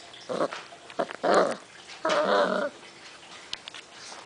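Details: Six-week-old rescue puppies awaiting adoption, recorded January 6, 2011, making short rough growling bursts, a few clustered near the start and a longer grumbling growl after two seconds, then quiet with faint clicks.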